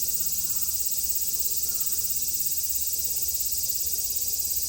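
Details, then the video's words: Summer cicadas in Japan, 2022, give a brief, steady, high-pitched electric drone that never pauses, with a slight pulsing shimmer and nothing else standing out. "Sounds of the cicada [ Japan in summer ] セミの声"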